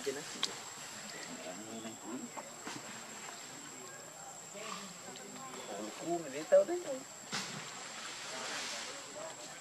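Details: Hungry baby monkey Leo pleads with its mother for milk: quivering, wobbling whines come in small clusters, loudest near the end, above a constant high-pitched hum and occasional clicks.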